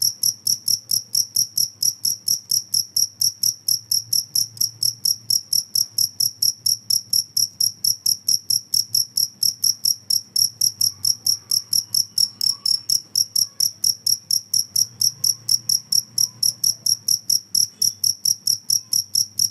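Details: Rapid cricket chirps, bright and high, repeating about twice a second at an even pace over a soft low rumble, in a recording said to scare off rats.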